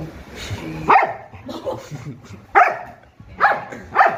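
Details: Pet dog named Mimi playing with a new spinning, light-up toy indoors; sharp barks with bright harmonic bursts come about every second, mixed with low human speech in a small room.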